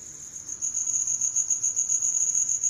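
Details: Cricket calling in a steady high-pitched trill, a continuous ringing tone with faint pulsing, growing louder after the first half second and holding evenly to the end.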